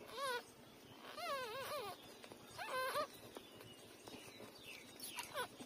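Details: Three-day-old newborn puppies nursing from their mother; a few high, wavering whines with rising and falling pitch, each under a second long, come in three separate bursts over a soft background hiss.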